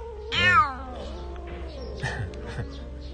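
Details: A timid female domestic cat with a heart-shaped beard marking gives a single bright, rising-then-falling meow, followed by quieter murmurs.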